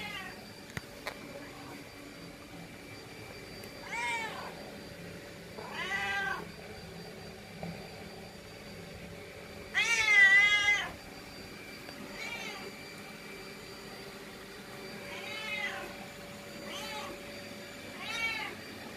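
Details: A pet cat that does not want to be left behind meows repeatedly: drawn-out, wavering cries with rich harmonics, about five calls spaced two to five seconds apart, one louder and longer near the middle, over quiet indoor hum.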